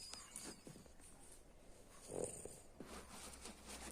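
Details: French Bulldog giving quiet, breathy snorts and snuffles, short broadband puffs near the start, a stronger snort at about two seconds, then several more soft bursts toward the end over a low background hum.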